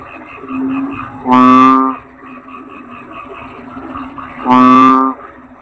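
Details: Toad calling: two loud, low, buzzy croaks, each about half a second long and spaced roughly three seconds apart, rise out of a faint, steady background hum.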